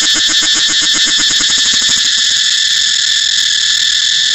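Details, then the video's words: Rapidly throbbing cicada song, a harsh high buzz with distinct quick pulses over the first two seconds, settling into a steady shrill whine. "cicada เสียงจั๊กจั่น"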